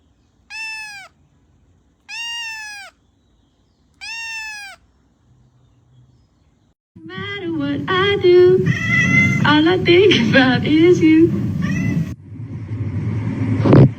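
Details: Domestic cat meowing three times at a steady pace, each call clear, high and gently falling, followed by a stretch of human talk and music.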